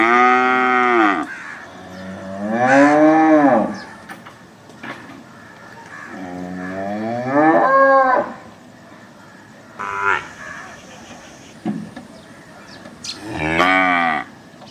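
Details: Several cattle moos spread across the recording: arching, rising-then-falling bellows of one to two seconds, separated by quieter stretches with faint background sounds and brief higher calls near the end.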